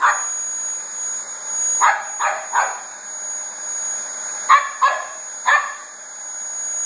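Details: Barking at a running Dyson vacuum, a two-year-old Border Terrier named Koko gives short, clipped yaps in bursts of two and three, separated by pauses, against a constant roar of the machine.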